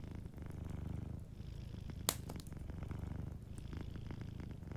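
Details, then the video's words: Soft, steady low purr from a cat sleeping by a warm fireplace, a gentle rumble that rises and eases rhythmically, broken by one sharp fire crack midway and lighter crackles around it. "a Sleeping Cat 🐱💤Fireplace & Soft Purring"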